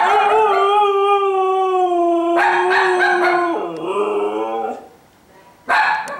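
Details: A restless female Siberian husky, kept in after two days of moving with no exercise and wanting a walk, howls indoors: a long steady tone over two seconds, then a louder broken howl dropping in pitch, a pause, and a final burst.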